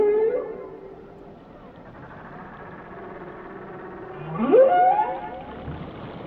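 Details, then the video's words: Whale song: a short tonal note at the start, a quiet stretch of faint moans, then a loud rising whoop climbing steeply in pitch before settling, with underwater background murmur. "Song of the Whales"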